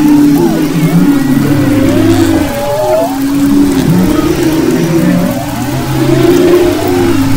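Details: Humpback whales singing off western Maui in February 2011, layered moaning tones and upswept cries, a deep sustained hum below, and faint higher chirping sweeps scattered across the chorus.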